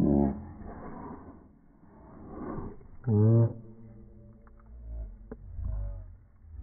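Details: Boston Terriers squabbling indoors over a ball, one dog holding it while another wants it; a short rough growl opens, a louder harmonic whining growl rises near the middle, then quieter grumbling rumbles follow in a small room.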